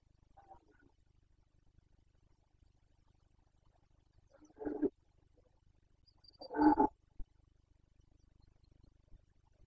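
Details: Carpathian red deer stag bellowing during the rut, breeding season 2021, Bucovina. A faint, brief call, then two short, gruff roars close together, against a quiet background.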